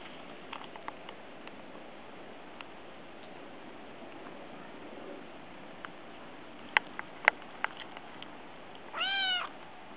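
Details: Brown Munchkin kitten wanting affection, meowing as it approaches; a steady background hiss with scattered soft clicks and taps, then a single clear rising-and-falling meow near the end.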